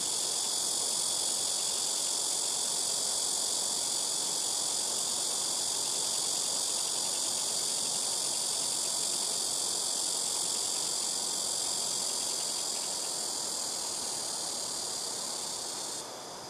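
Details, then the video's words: Blackish cicada chorus from trees around a house rooftop, the insects calling noisily in turn; an unbroken shrill buzz that stays steady for most of its length, then weakens and fades away in the final seconds. "시끄러운 매미우는소리"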